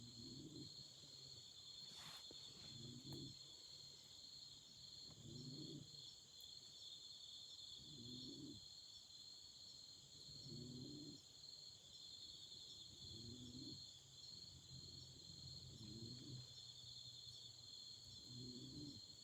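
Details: Beside a crackling campfire in autumn, insects hold a constant shrill trill in two high bands, while low soft pulses come regularly about every two and a half seconds and one sharp snap sounds early on.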